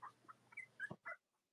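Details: Young Cavalier King Charles Spaniel puppies belonging to mothers Robin and Myra squeak in brief high whimpers, one sliding upward, followed by a soft thump and a final faint squeal against a low steady hum.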